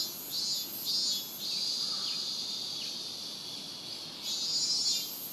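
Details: Robust cicada at Rokugo Shrine in Ota, Tokyo, Japan, in a season when cicadas began singing around July 20, recorded on a Sony PCM-M10: shrill high pulsing bursts swell and fade over a steady, hissing insect drone.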